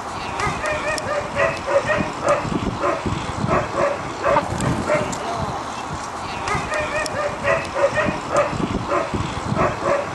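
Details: Afghan Hounds at the Finnish Short Track Championship 2015, a sighthound race where dogs chase an artificial lure; rapid, excited barks repeat in quick bursts throughout, mixed with people talking in Finnish nearby.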